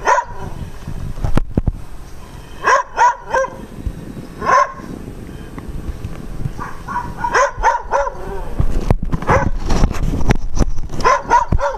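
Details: Dogs bark loudly in short clustered bursts separated by quieter gaps, with a person's voice and background noise in between.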